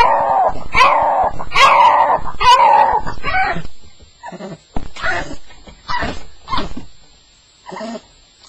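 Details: First-night Staffordshire Bull Terrier, called a nightmare by its owner: three long strained whines at the start, then short, quieter yips spaced about a second apart with silences between.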